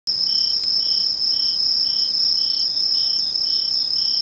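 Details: Insects calling on 21 August 2011 at Mishō, Ainan town, Japan: a steady high continuous trill overlaid by a lower chirp pulsing about twice per second, a dense chorus throughout with no other sounds.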